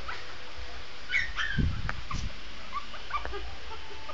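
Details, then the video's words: Shih Tzu puppy giving short, thin whimpering howl notes, brief and quiet, with some low thumping handling noise in the middle. "howling cute shih tzu puppy"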